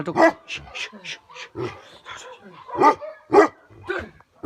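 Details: Tibetan Mastiff, the Bhote Kukur livestock guardian dog of Nepal's Himalaya, giving a run of loud, irregular deep barks about twice a second, with human voices mixed in between them.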